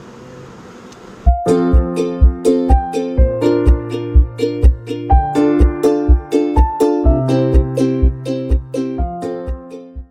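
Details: Plucked ukulele and piano music after a quiet start, with no animal sound.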